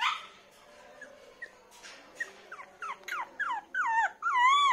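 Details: Poodle puppies on a bed, one light golden: scattered soft whimpers build into louder, longer whines, the last ones wavering up and down in pitch. A man talks in Hindi nearby.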